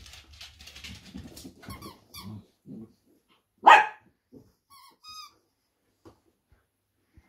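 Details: Two Dachshunds talking to each other during rough and tumble play: low rumbling growls and grumbles, then one sharp loud bark near the middle, followed by a few thin high squeaks and short grunts.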